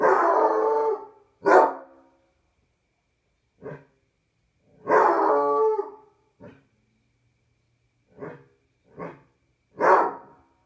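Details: A Basset Hound on a patio at night gives drawn-out, wavering howls broken up by short, throaty barks.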